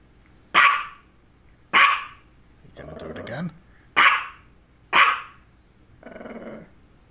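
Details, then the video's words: Short, sharp barks at roughly one-second intervals come from a female dog who had focal seizures just before and shortly after. They are interspersed with a lower, rougher vocal sound and a short tonal noise. "Barking and two focal seizures"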